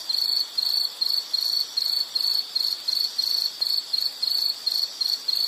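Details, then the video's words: Insect chirping in a high, thin pulse, short bursts repeated roughly twice a second in a steady run, played as a calming nature sound for study or sleep; faint background hiss. "Sound · Nature Sound of nature sounds scenery L · insect"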